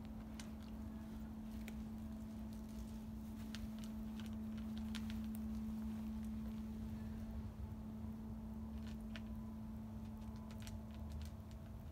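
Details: Steady low electrical hum under soft scattered taps and clicks, like footsteps or handling, with no animal voice present.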